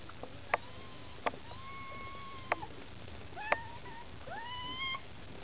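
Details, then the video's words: Maine Coon kittens with their mother Lakshmi, trying to get food: several thin, high meows, some rising and some drawn out with a falling end, scattered across the clip between sharp clicks and taps. "Котята мейн-кун: хочешь есть - умей втереться"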